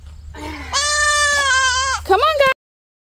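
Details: Baby goat kids, three newly arrived, crying in the morning as they are taken from their barn shelter on leashes to a temporary pen; a long steady quavering bleat followed by a short rising cry, a person's voice faintly beneath.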